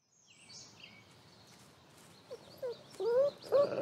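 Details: Wolf family with father Lighthawk, a grumpy dad raising seven pups of the year and setting rules for them; faint noise at first, then short, rising, tonal whines that grow louder and closer together toward the end.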